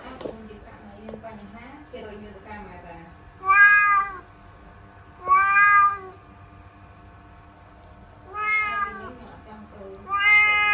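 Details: Domestic cat meowing indoors while stuck inside a laundry basket: four loud, drawn-out harmonic meows at uneven intervals, each under a second, with softer murmuring chirps and low room noise between them.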